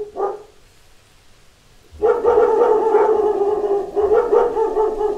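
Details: Pack of dogs barking at knocks at the door: a short bark, a pause, then from two seconds a dense, continuous chorus of overlapping harmonic barks with low thumps at the start.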